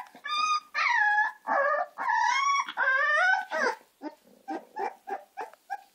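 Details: American Staffordshire terrier puppies, Gina and Zeus, give loud, high, tonal whines that slide up and down in long wavering cries, then break into a quick series of shorter, softer yelps toward the end.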